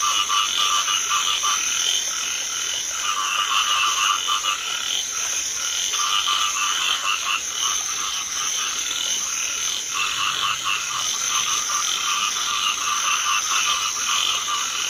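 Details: Rice field frogs fill the paddy with a loud, unbroken chorus in light rain. Many callers give rapid, grating croaks, layered over a constant shrill insect hum.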